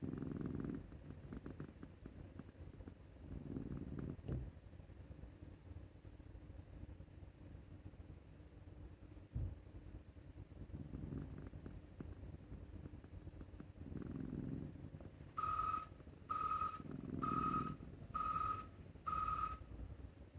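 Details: Male Scottish Fold named Maru, enjoying a neck scratch, snores like an old man. Low, rasping breaths recur every few seconds. Near the end, five short, high electronic beeps sound about once per second.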